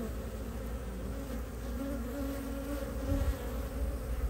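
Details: Honey bees, a dozen pollen foragers returning to a hive entrance in Ohio in mid-March, early spring 2023, at temperatures in the 50s, carrying maple pollen; a steady droning hum with wavering tones, strengthening slightly near the end, over low rumble.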